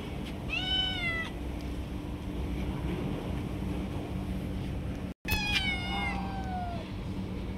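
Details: Stray cats jumping and snatching food from each other: two loud, drawn-out meows, one early and one later, each sliding downward over a steady background hum.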